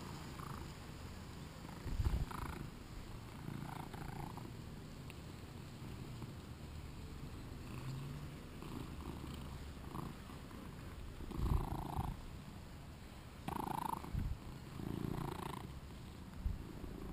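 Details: Shinobi, a two-year-old male British Shorthair, during play, filmed on a GoPro: a low, steady purring rumble runs throughout, broken by several short, louder mid-pitched bursts and soft handling noises.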